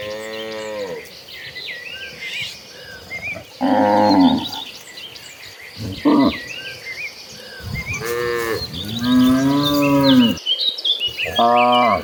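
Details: A herd of cattle walking toward the pasture in the late afternoon; several cows moo in long, low, drawn-out calls, one after another, with birds chirping behind.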